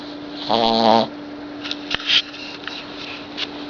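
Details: A 6-month-old Boston Terrier puppy gives a single buzzy, rumbling snore over a faint steady hum.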